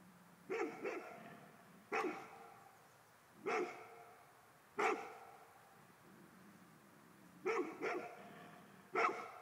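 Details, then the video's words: Golden Retriever barking at a ghost, with loud, ringing barks at uneven intervals, some single and some in quick pairs, over about ten seconds. "Mh Golden Retriver hane Spöken"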